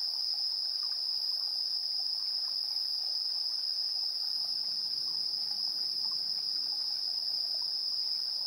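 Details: Insects calling in the evening of 3 September 2022 near 7:04 PM, recorded on a TASCAM Portacapture X8; an unbroken high, ringing trill fills the whole stretch, layered over faint scattered chirps.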